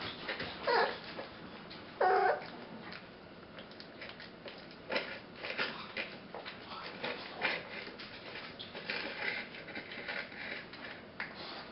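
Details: Runt puppy of the 2016 V rescue litter, indoors, gives a couple of short, high, squeaky whimpers early on amid steady rustling and handling noise, with a voice softly calling nearby.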